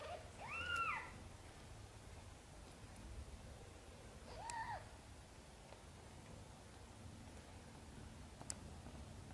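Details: Two soft, brief meows from a mother cat asking for help moving her tiny kittens into the nest, separated by about four seconds of near silence with a faint click near the end.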